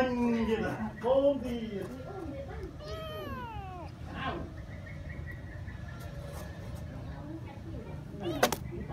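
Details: Mother cat with her kitten: several meows in the first four seconds, wavering and falling, a few thin and high-pitched, over a low background rumble, then quieter with a sharp knock near the end.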